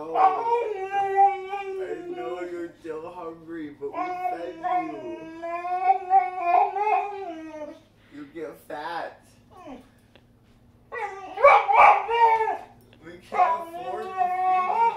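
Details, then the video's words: Boxer dog giving a drawn-out, wavering whine, high and nasal with rising and falling bends, broken into vocal bursts with short pauses, like grumbling talk. A quieter gap comes midway, then louder howl-like whines. "Dramatic Boxer Dog"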